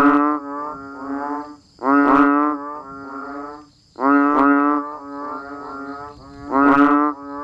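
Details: Frogs and banded bullfrogs calling during rain in a natural farm-village setting in Thailand; loud, nasal, harmonic notes about one and a half seconds long, repeating roughly every two seconds, over a thin steady high whine.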